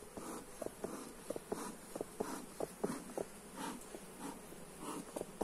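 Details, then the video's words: Honey bees buzzing during a hive inspection, recorded on a Xiaomi Redmi Note 8 phone: a low, steady droning hum broken by frequent sharp clicks and knocks from handling of the hive. "Hive inspection - Bee sounds"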